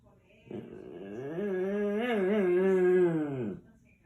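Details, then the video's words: Pancho, a pet dog, whining indoors at home: one drawn-out, wavering, moaning tone of about three seconds that swells, wobbles up and down in pitch, then drops away, with a person talking just before and after. "Pancho the whining dog"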